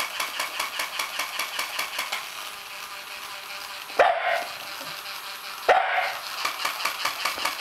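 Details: A pet Shiba Inu confronting a toy Shiba Inu. A regular mechanical clicking runs throughout, then two abrupt barks about two seconds apart.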